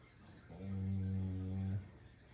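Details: Shiba Inu asleep, letting out a single loud, low snore lasting just over a second, steady and buzzy with stacked harmonics, in a quiet room.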